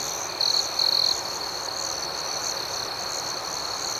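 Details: Nighttime cricket chorus: two short, sharp trilled chirps from a close insect stand out over a constant high, buzzing background of many other crickets.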